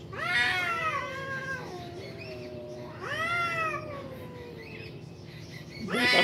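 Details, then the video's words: Two cats fighting at a construction building: long, wavering yowls that rise then slowly fall, one starting at once and another about three seconds in, with a sharper screech at the end. "Cat fight"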